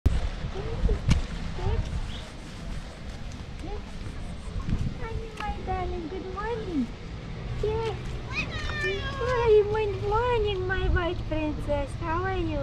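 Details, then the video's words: White female cat with yellow eyes meowing loudly at the sight of food: a run of arched, rising-then-falling meows, sparse at first and then coming quickly one after another in the second half, with human voices nearby. "White cat with yellow eyes began to meow loudly when she saw the food"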